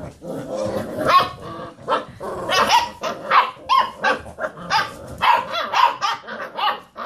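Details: Several Basset Hound puppies rooing while playing around a computer chair; a busy string of short yelping roos and barks, some with rising tonal notes, overlapping one another throughout.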